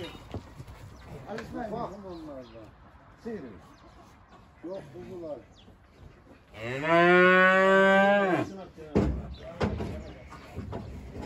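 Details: Simmental heifer bought at a livestock market and loaded onto a truck to be taken home gives one long, loud, harmonic-rich moo lasting about a second and a half, held steady then dropping off, preceded by human voices and followed by knocking.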